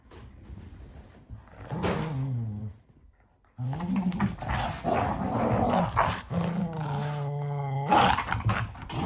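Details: Sully the Boston Terrier and Kumo the Keeshond fight over a carrot; deep, tonal growls in drawn-out bursts, a short quiet pause near three seconds, then sustained rumbling snarls with scuffles resume.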